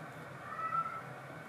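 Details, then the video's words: Domestic cat at the first meeting between kittens and their father cat, who was furious at them; one short, thin, steady high mew of under half a second over a low indoor hum. "When the kittens met Daddy Cat for the first time, he was furious."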